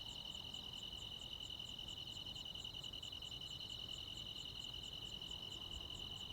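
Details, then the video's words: On a rural summer night, crickets and other insects keep up a clear, bright, high trill, evenly pulsed and very steady, with little background noise beneath. "시골 야간 귀뚜라미, 벌레 소리"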